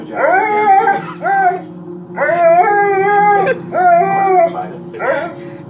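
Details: A male Alaskan Malamute, set off by hearing a man howl, gives a run of short, wavering howls that rise and fall in a talking rhythm.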